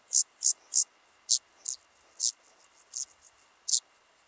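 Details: Club-legged grasshopper at Leogang, Austria, September 2023, making irregular bursts of high rasping: three quick strokes, then scattered single pulses at uneven intervals with faint softer scratches between them.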